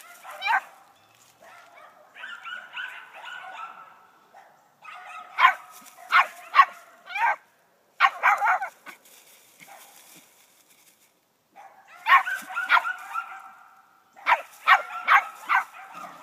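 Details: Young female puppy, 11 weeks old, treeing at a dead squirrel hung up above her; drawn-out wavering bawls alternate with clusters of rapid, sharp barks and yips over about sixteen seconds.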